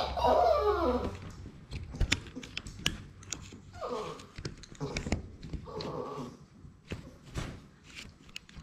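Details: Playing Labrador Retriever puppies, six weeks old, from a litter of six kept indoors. Whiny, wavering whimpers rise and fall at the start and return twice more, mixed with paw taps, thuds and scuffling.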